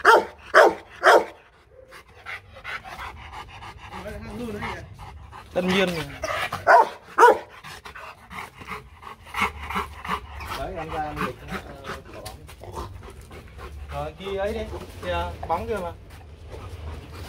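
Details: Vietnamese champion Rottweiler Loki, from the Gervi kennel in Hanoi, barks in mock warning, not an attack threat. Short bursts of powerful barks open the recording and return midway, with quieter rumbling vocal sounds and human speech between them.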